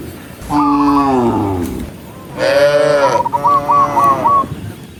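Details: Herd of tame cattle walking as a group on a countryside path at sunset, mooing to call dozens of cows home: two sustained, resonant moos, the second one swelling louder, followed by a burst of rapid chirping trills.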